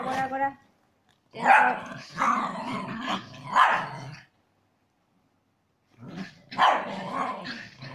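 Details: Chihuahua cross dogs engaged in aggressive play: a harmonic bark-like yelp opens, then clustered snarling growls, a pause of nearly two seconds, and another burst of growling.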